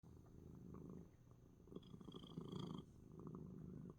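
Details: Pet cat Coco relaxes while purring loudly in spite of a sneeze, a steady low rumbling purr pulsing through all four seconds, swelling in the middle before easing slightly.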